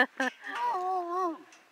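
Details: Buford the dog romping and singing: two short voiced yelps, then a sustained, wavering, howl-like tone held for nearly a second before fading.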